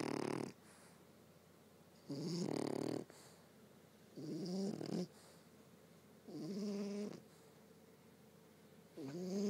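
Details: Sleeping French Bulldog snoring loudly: four long, harsh, rattling inhalations roughly every two seconds, each with a wavering nasal tone. Soft indoor background between the snores.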